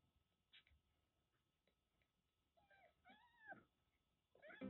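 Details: Kittens about a month old, from a stray cat's litter of five in Kagoshima, Japan; after faint scuffling, a pair of arched, wavering mews rises and falls, followed by a louder cry at the end.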